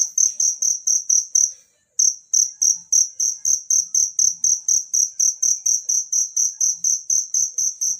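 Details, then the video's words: Natural cricket sound for training songbirds: rapid, shrill chirps at about four per second. A brief silence breaks the series near the two-second mark, then the steady high pulsing resumes over soft low thumps. "suara jangkrik alam"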